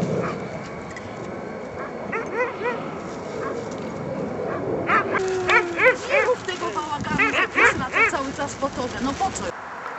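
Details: Barking from racing hounds, an Afghan Hound and a Saluki, training at Tor Służewiecki on 28 February 2010; scattered barks at first, then a faster run of overlapping yips and barks, with people talking and cheering throughout.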